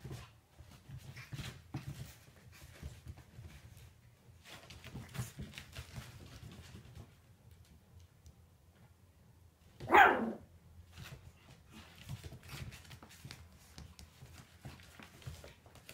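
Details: Four 8-week-old Shih Tzu puppies, the last of a litter of seven, playing together indoors: one sharp, high yelping bark rings out near the ten-second mark over quiet scuffling, soft whimpers and rustling of play.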